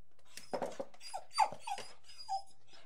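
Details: Angry dog barking indoors in a small room: four short, harsh barks spaced roughly half a second apart, each with a brief pitch bend, against a quiet background.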